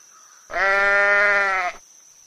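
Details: Grass-eating sheep giving a single level bleat of about one second. It is rich in harmonics and holds an even tone before stopping cleanly, with a thin steady high whine in the background.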